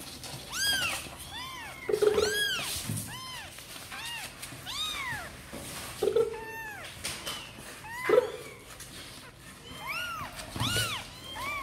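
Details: Sor and Kapov kittens eager to come out and play: a rapid chorus of high, arching, harmonic-rich meows from several kittens, overlapping continuously, with occasional bumps in a small room.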